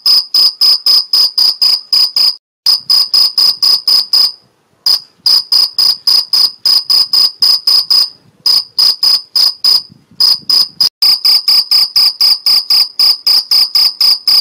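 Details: A male Two-spotted cricket (Gryllus bimaculatus) in Algarve, Portugal, stridulates close up, singing to attract a female; pure, high chirps about four each second, with a few brief pauses.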